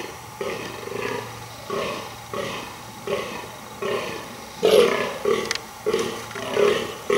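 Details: A fallow deer buck gives deep, belching groans in a steady, almost non-stop series during the rut, trying to impress females.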